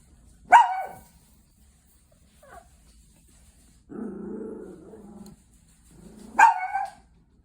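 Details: A Chihuahua threatening a person beside it fires a sharp bark, then a low rough growl lasting over a second, then a second bark rising out of a growl.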